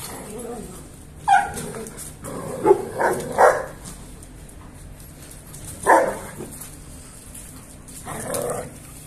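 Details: German Shepherd dogs, a male and female pair, filmed around mating: loud single barks at uneven gaps, one quick pair close together, over a steady low hum with faint voices.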